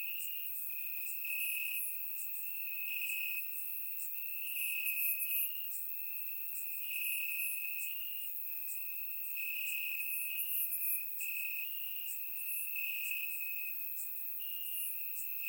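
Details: Night chorus of crickets in grass on a warm Bulgarian summer night, taken with a surround microphone: an unbroken piercing trill rising and falling in loudness in waves a few seconds apart, dotted with brief high-pitched chirps from other insects.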